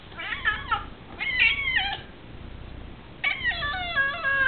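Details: A domestic cat whining in the background while two dogs have lunch indoors; three drawn-out, wavering meows with rich harmonics, each about a second long, separated by short pauses.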